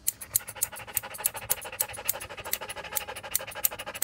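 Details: Rapid, rhythmic panting from Joe the standard poodle during grooming at a Paris 8 salon: hissing breaths roughly every third of a second, steady and slightly uneven in strength.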